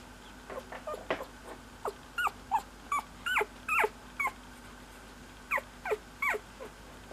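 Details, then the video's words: Cocker Spaniel puppy squeaking: a quick run of about thirteen short, high, tonal squeaks, some bending up or down, coming in uneven bursts over a faint steady hum. "Squeaky Cocker Baby"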